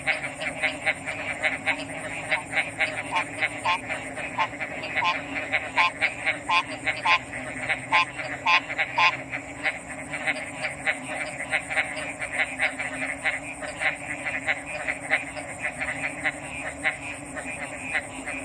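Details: Frogs calling in a dense chorus: short rasping, clicking notes repeated in quick bursts, loudest in the middle stretch, over a steady high-pitched hum and a continuous background of other callers.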